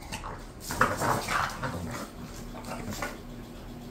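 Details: Pet bulldogs Khan and Ali, described as bored, give a short cluster of mid-pitched whimpering yelps around the middle of the clip, with quieter household background between them.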